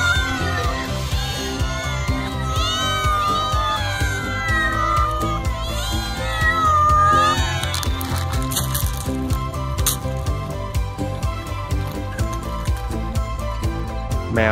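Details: Domestic cat gives several drawn-out, arching meows in the first eight seconds, rising then falling in pitch, over steady background music; this call is described as the house cat's way of attracting human attention.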